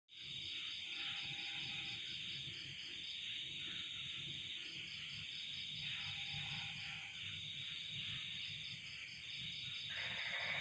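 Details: On a cold night, a dense chorus of crickets trills steadily at high pitch, with occasional lower frog notes beneath.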